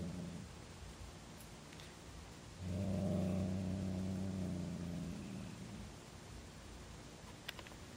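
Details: Low, rumbling growl from Hazel, a female house cat who suddenly began hissing and growling at her brother Lenny, lasting about two and a half seconds, with quiet room noise before and after.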